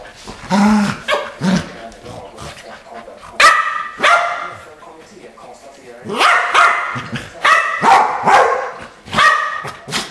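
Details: Barking from the Keeshonds Charlie and Fiffi, indoors: bursts of sharp, ringing barks in irregular clusters over ten seconds, some yippy, with quieter gaps and people talking in between.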